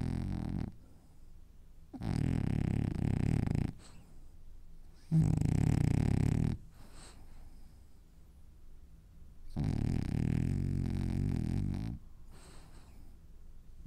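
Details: French Bulldog asleep and dreaming, snoring in four long, rough, rattling breaths of one to two seconds each, separated by short quiet pauses, low and throaty throughout.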